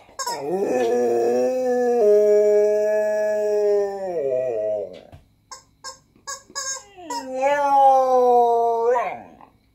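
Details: Female Siberian Husky indoors, acting silly and singing along with her chicken: a long steady howl holding about four seconds before dropping away, then a few short squeaky bursts and a second wavering howl that dips and rises.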